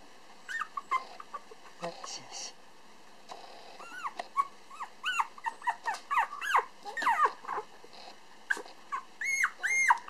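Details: Pump, a 431 g black male Toy Poodle puppy just learning to stand and walk, filmed at a Japanese breeder in December 2012, gives a few faint whines, then a busy stream of rising-falling whimpers and squeaks.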